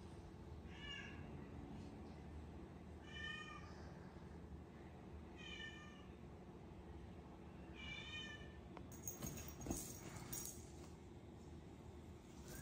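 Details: Miracle, a rescued cat now lazy, eating and sleeping instead of playing; four clear harmonic meows spaced about two and a half seconds apart, then clattering and handling noises over a constant low hum.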